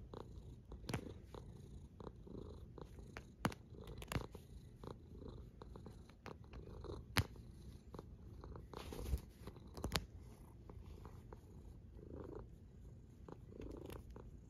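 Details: Cat snoring in a long, even, deep rumble, the breathing drone steady throughout while occasional sharp taps and clicks cut through.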